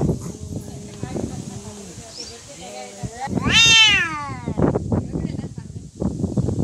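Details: Cats in a real fight: low growling tones, then a sharp, high rising-and-falling yowl with rich harmonics, amid loud scuffling thumps and bursts of noise.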